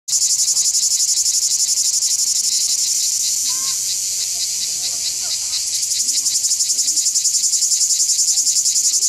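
A cicada sings a loud, shrill, continuous buzz with a rapid pulsing throb.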